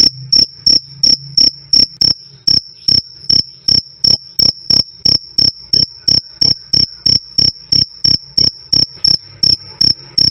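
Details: Loud, clean jangkrik cricket chirping, "krik krik", recorded for training cage birds: a bright high tone broken into short pulses, roughly three each second, with slight unevenness and a soft low background hum.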